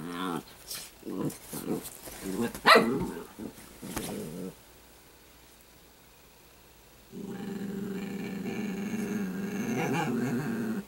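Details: Italian greyhound puppy named Sparkle, a pet indoors, growling: a run of short rough low growls in the first four seconds, a quiet pause, then a long sustained rumbling growl to the end.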